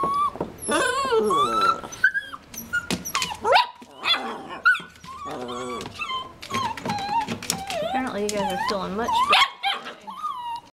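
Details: Puppies wrestling and feeling better, producing a busy mix of squeaky whines, yelps and short howling cries, overlapping with a person speaking throughout.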